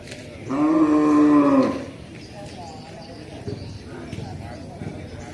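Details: Breeding cow (sapi/lembu) lowing in one strong, steady moo of over a second with rich harmonics, followed by quieter background noise and faint murmurs.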